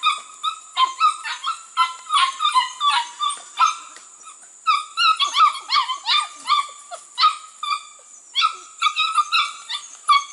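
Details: ABCA-registered Border Collie pups from two litters, 6 to 8 weeks old, working goats for the first time; high-pitched yips and short whiny barks tumble over each other in quick overlapping bursts, with a steady high hiss underneath.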